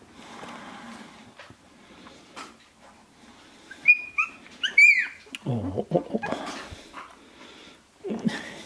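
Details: Sixteen-day-old Shiba Inu puppies of Ichi Hime, born February 2017, filmed March 2017: a few thin, high whistled squeaks and peeps mid-clip, then a low rough grumble, amid rustling and faint murmurs.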